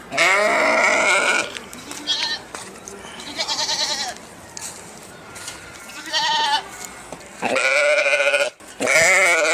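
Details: Sheep giving repeated harsh, quavering bleats, some long and some brief, with noisy rustling between the calls.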